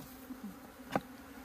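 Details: Honey bees at a hive kept by a Hakka couple in the countryside of Meilin, Puning, Guangdong, China: a steady low droning hum runs throughout, broken by one sharp click near the end.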